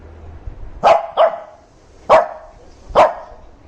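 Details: A Shih Tzu gives four sharp, high barks at uneven intervals, angry and demanding attention while being filmed.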